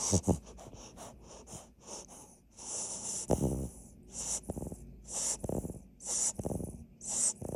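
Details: A sleeping Labrador Retriever puppy, the largest of the litter, snores with rough, breathy snorts that repeat every second or so.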